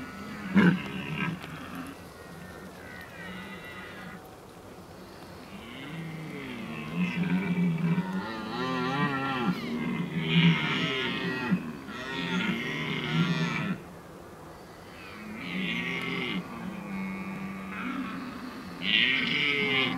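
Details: Red deer in rut at Oostvaardersplassen, Netherlands, 15 October 2011: several overlapping low, bowed, harmonic calls rising and falling, some loud bursts, with higher nasal overtone calls layered above throughout.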